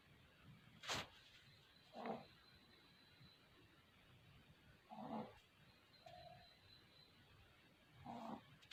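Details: Puppies asleep and snoring, each soft wheezy breath arriving about every three seconds, with a brief sharp rustle at the start and a faint constant high-pitched hum in the background.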